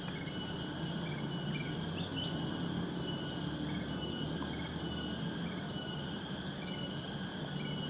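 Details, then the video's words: Cicadas calling in the wild alongside birds, a nostalgic village soundscape: a continuous shrill drone of steady high tones, with short chirps repeating about every second and a low rumbling background. "Suara "Tonggeret" dan Suara Burung di Alam Liar nu matak Waas"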